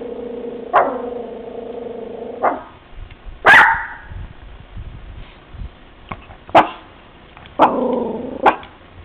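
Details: Pet dog Bebe barks from a new room at children outside beside a van. A long, steady whine-like howl opens, followed by single abrupt barks spaced about two seconds apart and another sustained moaning bark.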